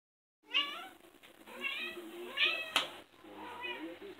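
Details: Pet cats at play indoors, giving a run of four short, arched meows with rising then falling pitch, roughly one every second, each bright and clearly separated by brief pauses.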